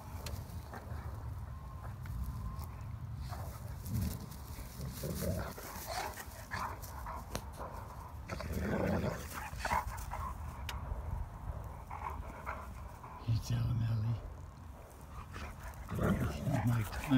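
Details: Two Great Danes, Mikey and Ellie, wrestling, pouncing and leaping together in sunshine; bursts of low rough growling and grunting come in irregular spells amid scuffling thumps and body noise, with a person's voice nearby.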